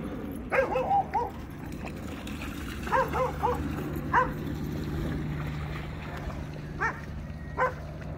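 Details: American Akita playing in the water at Baldwin Park dog park in Orlando, Florida; sharp short barks in scattered bursts, several in quick pairs, over a steady low hum and outdoor background.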